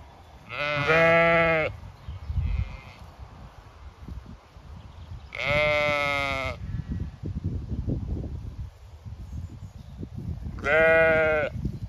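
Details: Zwartbles ewes and lambs grazing and seeking shade or water on a County Kilkenny farm in Ireland during hot May weather; three loud, drawn-out, tremulous bleats roughly every five seconds, with low field noise and rustling in between.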